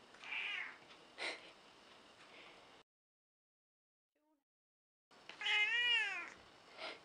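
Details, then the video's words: Elderly cranky cat, around 14 years old, meowing indoors: a softer wavering meow and a brief knock, a silent gap, then a strong, high, drawn-out meow that bends up and down. "Mitsy Elderly Cat Who Meows a Lot"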